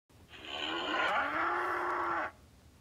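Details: Bull roaring: a single loud, hoarse, sustained bellow of about two seconds, rich in harmonics, its pitch climbing slightly at the start and then holding steady before cutting off abruptly.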